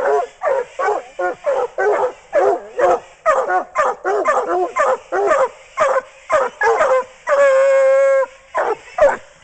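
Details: ,Coonhound treeing alongside a second dog during a coon hunt in Swansea, South Carolina: a rapid run of short, ringing bawling barks about twice per second, broken near the end by one long, drawn-out howling bawl, then more clipped barks.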